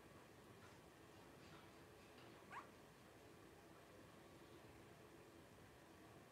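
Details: Litter of five 12-day-old blenheim Cavalier King Charles Spaniel puppies, two girls and three boys born at New Year's 2023; one short, sharp rising squeak halfway through, a few fainter squeaks before it, over quiet steady background hiss.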